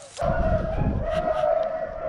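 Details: A rabbit hound running a rabbit in a thick thicket bays in one long, steady, drawn-out tone during a hunt on a cold, dry winter day with snow on the hills.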